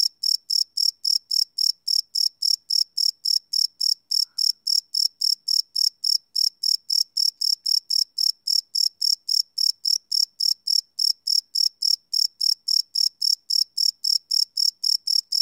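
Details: Chirping cricket after dark, recorded live without loops on a Sony PCM D100 field recorder; very even, continuous run of high, bright pulses at almost four per second throughout.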